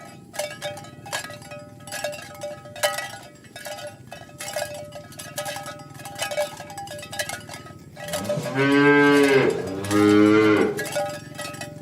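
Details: Tame cattle herded along village roads toward the pen in the morning: about eight seconds of clinking cowbells, then two loud, drawn-out harmonic moos back to back, each bending up then down in pitch.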